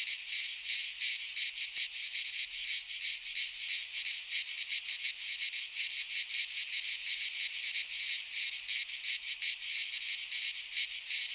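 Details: Loud cicada chorus from a pine forest in Greece during midsummer: continuous high, rasping whirr with rapid even pulsation lasting the whole stretch, no other sounds.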